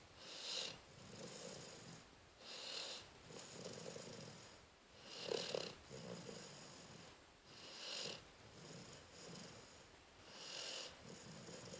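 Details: Sleeping dog Cleo, recorded 12-12-13, gives five raspy snores at a regular rhythm of about one every 2.5 seconds, each a breathy hiss over a low rumble, with no other sounds.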